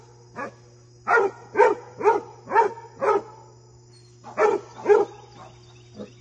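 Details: Playful Basset Hound romping with deer, barking in a lively series of about nine deep, harsh barks roughly every half second, with a short pause midway, over a constant low hum.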